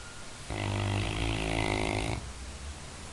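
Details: Labrador Retriever snore: a single harsh, vibrating inhalation of about one and a half seconds, deep and rattling with a breathy hiss, cutting off sharply into quiet.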